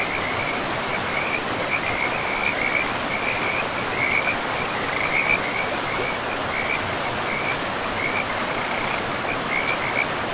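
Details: By a river in an untouched forest, frogs keep up a long chain of quick pulsed calls at one high pitch, strongest in the middle stretch, while rushing water roars steadily beneath.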